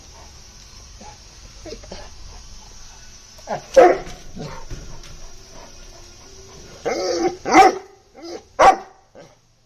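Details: Caged Bully Kutta barking in a few loud, harsh bursts near four and seven to nine seconds, after a stretch of quieter low rumbling and faint noises.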